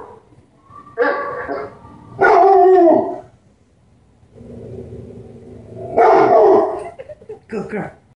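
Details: A pet dog barks at other dogs barking: loud, harsh, harmonic bark bursts, some drawn out, in two pairs about four seconds apart, with a lower, quieter droning sound between them.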